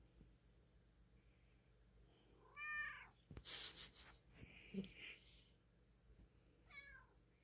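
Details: Cat comfy in a nest of pillows and blankets indoors, giving two short stacked meow-like calls several seconds apart, with soft rustling and a clatter between them.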